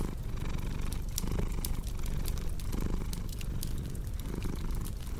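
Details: Domestic cat purring steadily in a cozy indoor setting, a low continuous rumble that swells with each breath, overlaid with sharp crackles and pops from a burning fireplace.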